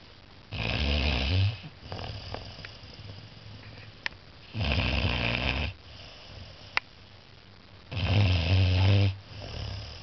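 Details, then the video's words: Snoring of Walter, a Saint Bernard puppy aged 14 weeks, worn out from a day of play: three deep, grating, rumbling snores roughly four seconds apart, each lasting about a second, with soft, faint breaths between. "14 week old Saint bernard puppy snoring"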